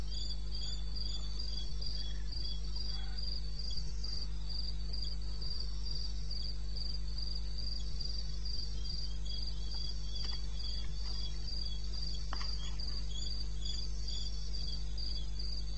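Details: Eastern Botswana wilderness at night, 2:30 AM on 21 May 2016: crickets give a dense, fast run of shrill pulses with a second, lower caller trilling alongside, over a constant low rumble.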